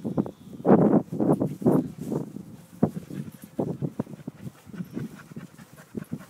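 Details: English Springer Spaniels, a 4-year-old and a 21-month-old, on their morning walk; rhythmic breathy panting in quick bursts with soft footfalls and rustling between.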